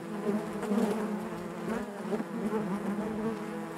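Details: Honey bees in their hive give a thick, even buzz, a low drone overlaid with warbling higher tones that shift gently in pitch.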